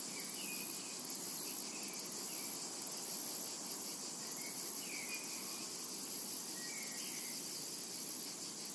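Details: Cicada ambience from a summer meadow, an unbroken high hiss-like trill throbbing in even pulses, joined by brief faint bird chirps.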